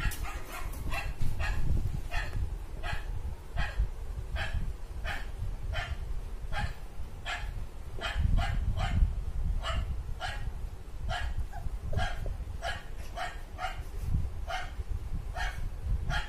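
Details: Steady run of clipped barks, roughly two or three per second for the whole stretch, from a dog a golden retriever puppy reacts to, over heavy low-pitched rumble.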